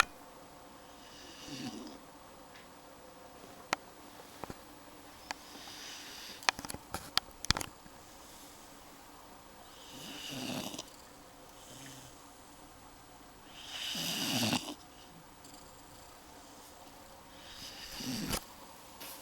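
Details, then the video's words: Rollo the dog snoring and stretching while asleep indoors: soft, breathy noisy snores swell and fade every few seconds, with a cluster of sharp clicks in between and a quiet room background. "Rollo snoring and stretching"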